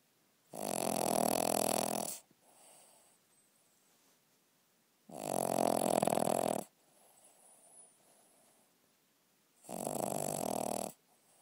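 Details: Dog snoring at night: three loud, rasping inhaled snores, each about one and a half seconds long, recurring roughly every four seconds, with faint breathy exhales between them in a quiet indoor room.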